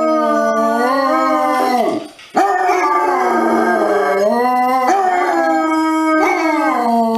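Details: Basset hound howling in long, sustained, wavering notes with rich harmonics, sliding down then rising again, broken by a short gap near two seconds before resuming at a steady pitch.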